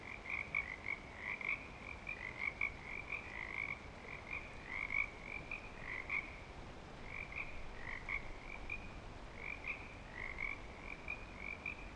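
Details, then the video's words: Breeding-season frog chorus at Clearwater Commons, many frogs giving rapid, high chirps and short trills almost without pause, overlapping in dense waves over a constant background hiss. "Frog Song"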